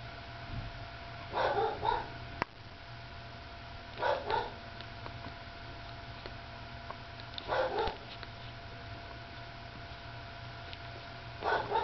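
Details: Drowsy newborn pup, number three of Lacey's litter, nursing and letting out brief harmonic squeaky whimpers roughly every three seconds, each a short double burst, against a faint constant background hum.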